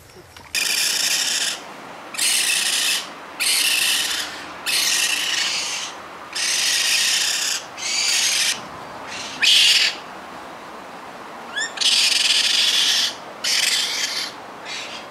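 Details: Baby raccoons, young animals being hand-raised, give loud, harsh, hissing bursts about a second long, repeated roughly every one to two seconds with short silent gaps, all high and breathy, with no other clear sounds.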